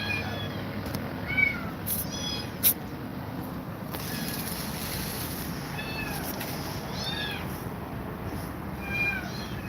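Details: Domestic cats, Grumpy Cat said to be scared of two mother cats: several short, arched, mewing meows scattered across the clip over a steady low background hum, with a couple of sharp clicks.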